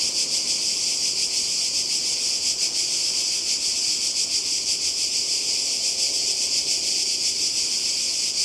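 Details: A Croatian coastal summer soundscape from 2020, dominated by cicadas: an intense, piercing, grating drone with rapid faint throbbing, many insects calling together without a break.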